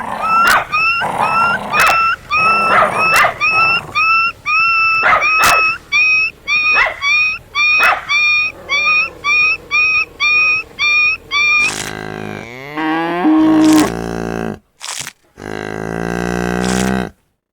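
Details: Dog giving high-pitched, tonal yips in a steady series of about two per second for some eleven seconds, each short and ringing, followed by a burst of different drawn-out harmonic animal calls and noise.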